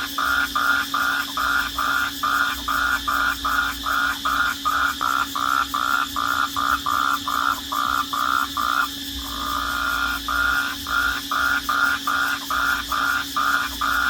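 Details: Cricket chorus at night: rapid, evenly spaced mid-pitched chirps, about two to three each second, briefly merging into a continuous tone midway, with a steady low hum in the background.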